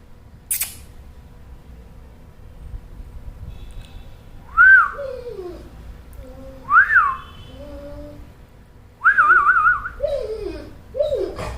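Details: Pet dog making a weird noise when tied up and annoyed: drawn-out whistled whines that rise and fall, some warbling, in bursts every two seconds or so, indoors.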